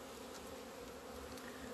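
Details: Apiary honey bees out in February sunlight, 17 February 2020, after two months without flying: dense, steady buzzing drone with low fundamental and higher harmonic, a few faint clicks scattered over it.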